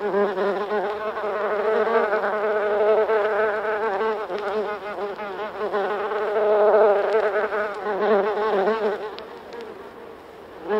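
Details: Buff-tailed bumblebees (Bombus terrestris), several together inside their nest in the UK, recorded close up: a dense, continuous droning buzz with wavering overlapping tones that swell and fade slightly, easing off toward the end.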